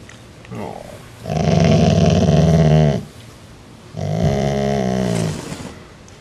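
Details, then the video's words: Growling part-Rottweiler dog asserting dominance over its sibling; a soft lead-in, then two long throaty growls, each well over a second and separated by a brief pause, with a man's voice nearby. "Rottweiler Growls"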